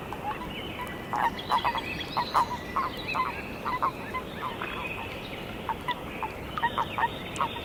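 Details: Natterjack toads wrestling at Padakõrve; short clucking bursts repeat irregularly, roughly every half second, over a continuous background rattle from many more toads.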